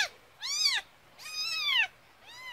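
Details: Orphaned rural kitten whose mother disappeared two weeks after giving birth, mewing while being helped to toilet. It gives three loud, high, arched mews, each rising then falling, about one second apart, in a quiet room.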